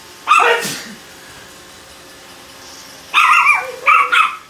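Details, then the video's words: Bella, a 3 lb tri-color teacup Chihuahua kept indoors as a family pet, is annoyed and gives a sharp, high yap, then after a quiet gap of over two seconds a burst of three quick yipping barks. "Teacup chihuahua is annoyed."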